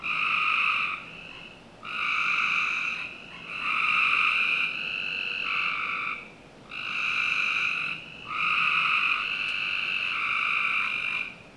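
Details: Backyard frogs in Northern Virginia on a summer night produce a run of harsh, buzzing trills, some back to back and slightly overlapping, with short breaks between bursts.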